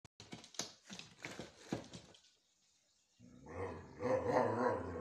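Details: Siberian Husky howling for treats, giving choppy, vocal yowls, then a sustained, harmonic-rich howl after a brief pause.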